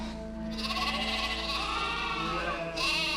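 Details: Sheep (Ovis aries) in Scotland: a lamb that lost its mother in the crush of the flock, just put back, calls for her in wavering, nasal bleats over background music.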